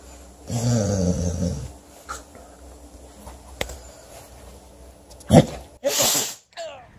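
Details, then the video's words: Pet dog indoors giving a low snuffling snort, then two sharp, noisy bursts of sneezing close together near the end, with a quiet room and a person nearby. "Funny Sneezing Dogs"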